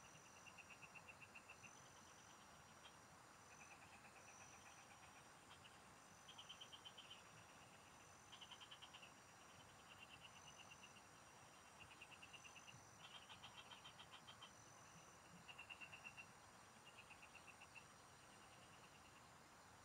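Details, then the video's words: Field frogs call in a rural setting during fishing, trading brief bursts of quick clicking pulses at irregular intervals; a continuous high-pitched insect tone and low background noise run throughout. "Pikinggan mo Ang MGA huni Ng MGA Palaka SA bukid| Relaxing Frog Singing"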